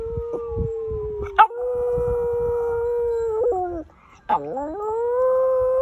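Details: Pet dog practicing howls, recorded March 2020: a long, steady, mid-pitched howl that drops slightly before a brief break, then resumes with a dipping note that rises into another sustained tone.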